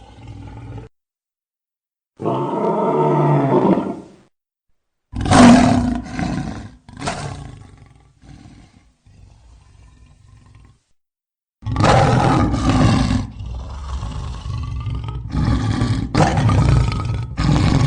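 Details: Lion roars in an edited sound-effect compilation: deep, rough, broadband roaring bursts of one to two seconds, separated by abrupt silent cuts, with a quieter, lower rumbling stretch in the middle.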